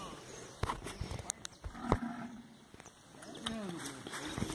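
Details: Heavy Nelore, Brahman and Guzerá cattle, each weighing about one tonne, being sent to slaughter; a low, drawn-out moo rises and falls against scattered knocks and clatter.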